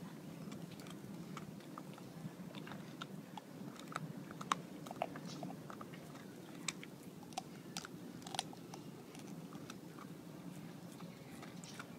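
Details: Two dogs calmly chomping bones together indoors, with sharp crunching and gnawing clicks over a low room hum; no barks or other vocal sounds.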